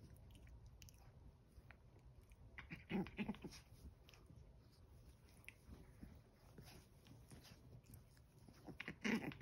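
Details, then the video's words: Eleven-week-old Chihuahua puppies tussle indoors over a towel, giving short harmonic growling yips around three seconds in and again near the end, set among soft scuffling and chewing noises in a quiet small room. "11 week old chihuahua puppies: what are you fighting for? A towel?"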